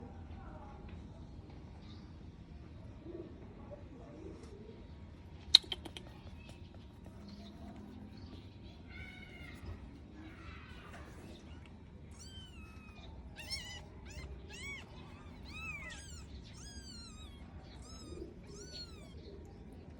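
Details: Five-day-old kitten giving thin, high mews that rise and fall, in a run of quick repeated calls through the second half, over a steady background hum.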